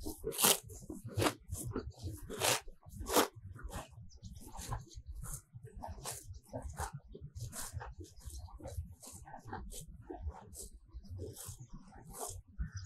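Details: Close-up of cows grazing in a sunny pasture full of fresh grass, tongues pulling off the grass: sharp, crunchy ripping tears at irregular intervals over a soft low rustle of chewing, with no other clear sounds.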